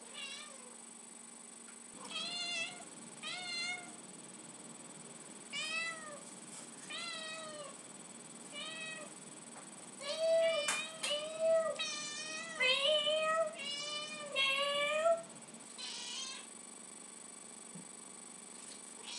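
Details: Domestic cat Lucy, extremely vocal when she wants tuna, gives a run of about a dozen arched, rising-falling meows, spaced irregularly and growing louder and denser toward the middle, against a faint room hum.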